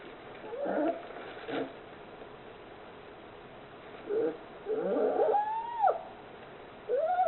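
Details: Forty-one-day-old polar bear cub at an aquarium in Oga, Akita Prefecture, Japan, in loud sleep: husky snorting breaths in irregular bursts, mixed with thin arching whimpers near the end.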